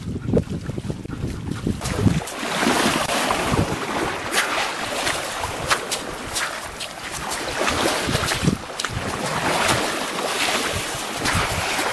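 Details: Wind buffeting a camera microphone at a lake on a very hot day, with splashing water and sharp knocks, and no animal call heard.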